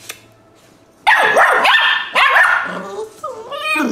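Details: Rescue puppies, possibly a Lab-Spaniel-Beagle mix, break from near silence into loud, high, arching yips and whines after one second. Cries rise and fall in quick overlapping bursts, ending with wavering squeals.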